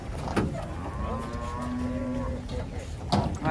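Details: Large cattle being unloaded from a truck; one animal gives a flat, droning low moo lasting about a second, with overlapping men's voices and clattering knocks.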